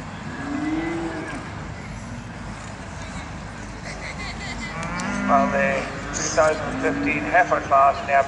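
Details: Charolais cattle at a show on South Inch Park, Perth, Scotland, give a few low, drawn-out moos, softer against a busy hum of crowd and traffic noise, with voices growing louder toward the end.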